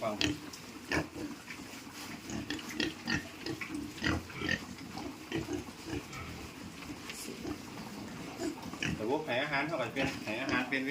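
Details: A group of piglets on a farm, moved into fattening pens, keeps up quick irregular grunts and clattering noise, ending with a few higher squeals, while people talk in the background.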